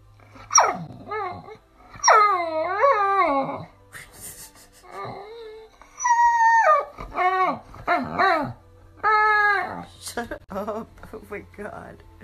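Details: Pit Bull Terrier giving a run of high, wavering whines and howls, each cry a long harmonic note that rises and falls with a slight tremble, separated by short pauses, with faint background music.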